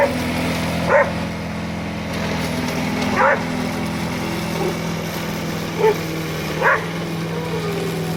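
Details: Pete the Border Collie treats the lawn mower as something to herd, letting out four separate barks at irregular intervals of one to three seconds while the mower motor drones steadily underneath.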